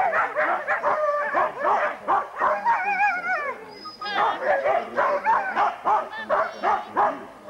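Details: Many huskies at a November 2001 sled dog race weekend in England's Forest of Dean make rapid repeated yelps and wavering, quavering howls, several of them held and rising, with barks scattered throughout.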